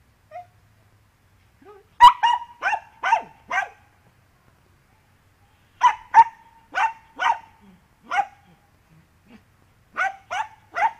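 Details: Dachshund named Andy, digging, barks in short sharp bursts, mostly in quick pairs or triplets with brief pauses between groups, each bark carrying a clear ringing tone; a quiet background otherwise.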